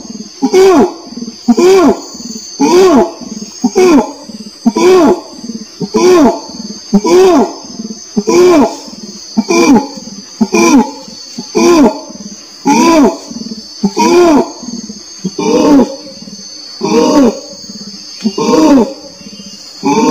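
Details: Long series of short, arched, moaning pulses from an orangutan, repeated roughly once a second in an uneven rhythm, with a constant shrill hum in the background.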